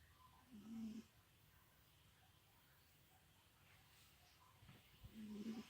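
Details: Sleeping house cat El Guapo, long-haired, lies with a paw covering his face; two brief, low, raspy snore breaths sit near the start and end, with near-silence between.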